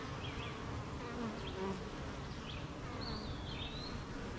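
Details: Honey bees at their beehive on a rainy morning, busy making honey amid gardens, farms and fields: a dense, steady low hum fills the recording, with brief chirping bird notes scattered high above.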